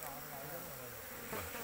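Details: Large Asian honey bee colony found in an oil palm plantation, heard as a dense continuous hum of many bees with a faint wavering low tone under broad hiss.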